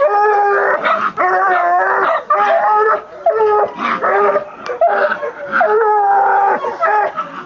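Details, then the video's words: Young female Black and Tan Coonhound, 20 months old, baying at a captured raccoon from a chicken pen; continuous overlapping howls and short yips, tones wavering and bending, with brief gaps between bursts. "UKC Black & Tan Coonhound"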